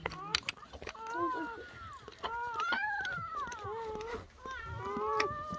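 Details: Betty's German Shepherd puppies, newborn on the first night of birth, whine in long, thin, sliding notes that bend up and then down, several overlapping, with occasional soft human voice and rustling.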